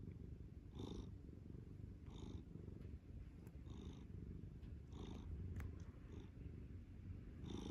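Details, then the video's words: Domestic cat purring while kneading, a steady low rumble throughout with brighter pulses recurring about every one to one and a half seconds. "making biscuits and purring"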